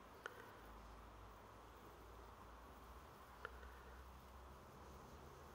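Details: Steady droning buzz from bees, recorded 28 September 2023, broken by two short sharp clicks and set against a low rumbling hum.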